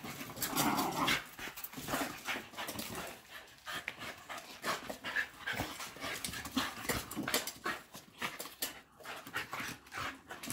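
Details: Hard, quick panting from Patterdale black fell terriers Estacado and Obscura, hunting dogs just back from a chase: harsh breathy huffs about three per second, irregular and sustained throughout.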